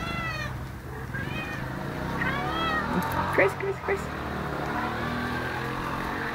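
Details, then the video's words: Gracie, a talkative pet cat about 12 years old, gives several short arched meows with stacked harmonics in the first half while a person calls her name; steady low hum and a few clicks underneath. "Gracie, the Majorly Talkative Cat."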